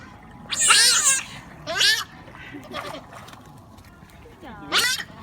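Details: Playing giant otters let out loud, high, wavering squeals in four bursts: a long scream, a shorter one, a faint cry, then a final sharp squeal.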